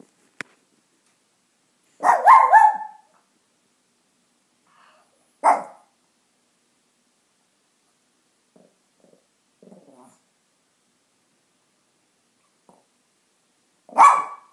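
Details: Pet dog giving three loud, sharp barks spaced several seconds apart, with soft low grumbles in the quiet gaps between them.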